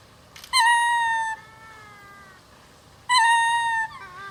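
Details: Ring-tailed lemurs in the cage-free WAO Land at Japan Monkey Center, Inuyama, on 22 December 2025 in winter, gathered sunbathing, suddenly start a chorus of loud, drawn-out, cat-like wailing calls in two bursts, with fainter overlapping voices between.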